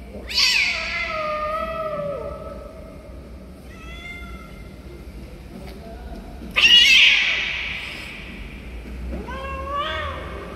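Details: Stray cats jumping at food give a series of meows: a long, slightly falling wail, then short harmonic mews, a loud strident meow, and a final rising-falling mew, over a quiet background.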